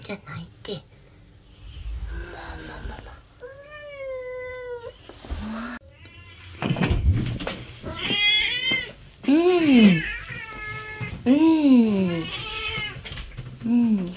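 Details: Stray cat, blind in one eye and described as a good talker, roaming freely between an entrance porch and the outdoors; series of drawn-out, bending meows, some rising then falling, with quieter chirps and soft human voices between calls.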